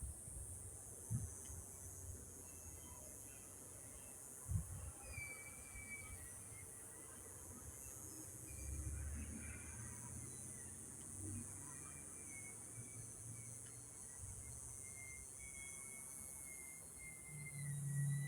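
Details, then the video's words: Yuma sunset after 7 p.m. with cicadas keeping up a constant, even high shrill, while scattered whistled bird calls and a low background rumble with occasional knocks come and go. "Yuma Sunset with the sound of cicadas!"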